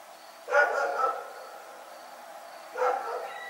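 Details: Night barking from Rex, a dog: a sharp double-note bark, a pause of two seconds, then another similar bark, against a low steady hum.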